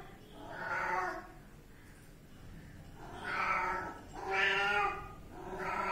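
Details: A kitten gives four rounded, wavering meows with gaps of about one to two seconds between them, each swelling then fading, over a quiet background.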